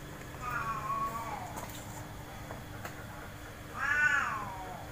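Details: Big and small cats playing in a cage in the front yard give two clear meows. The first is drawn out and falls in pitch. The second, about three seconds later, is shorter and louder, rising then falling, over a steady low hum.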